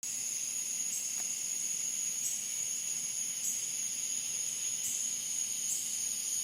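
Cicadas drone at night in a steady, high-pitched, continuous buzzing chorus.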